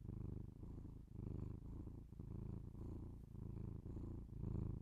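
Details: Pet cat's purr captured with binaural microphones for ASMR, indoors: deep vibrating rumble rising and falling in about one-second breathing cycles, with brief dips between breaths.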